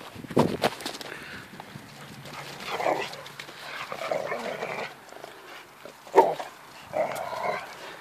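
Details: Pet Hungarian Vizsla pointers Poppy and Cleo at play: rough, throaty growling bursts come in several separate spells, with sharp thumps and scuffles between them.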